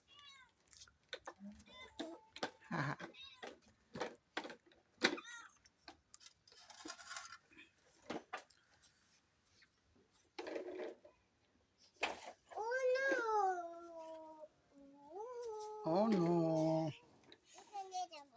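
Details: Pet cat being chased indoors, crying in long, wavering, drawn-out meows that rise and fall, after a stretch of clattering, talking and short noises.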